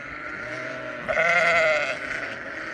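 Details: A flock of sheep on a ranch in Western Australia; one wavering, harmonic bleat of about a second rises out of a steady murmur of other bleating sheep.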